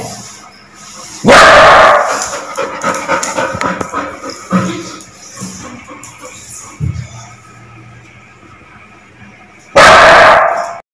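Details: Aggressive barking from a Labrador Retriever: a loud harsh bark near the start, a stretch of softer clatter, thuds and murmuring, then another loud bark close to the end.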